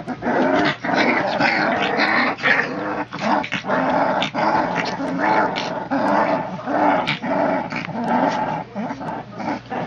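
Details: Litter of three-week-old puppies in a playful tussle with a great white shark toy, giving continuous overlapping growls and squeaky grumbles, rough and harmonic, with brief pauses and faint human voices underneath.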